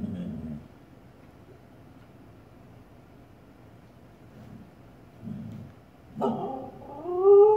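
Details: A female Siberian Husky, seeing her own reflection in a fireplace, lets out a short, wavering, whining bark after a quiet stretch.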